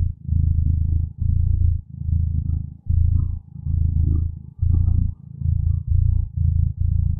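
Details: A contented feline companion purrs peacefully: deep vibrating drone in pulses lasting under a second, separated by brief breathing pauses, about nine cycles, with faint higher murmurs in the background.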